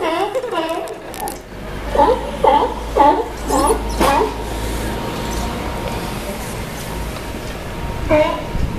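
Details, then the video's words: Dockside sea lions in Newport, Oregon, give a short series of rough harmonic barks, then quieter low background rumble and a steady faint hum before one final bark. "Sea Lion Choir !"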